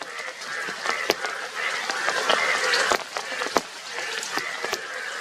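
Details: A dense chorus of yellow, blue-cheeked Indian bullfrogs gives loud nasal honking croaks that overlap continuously.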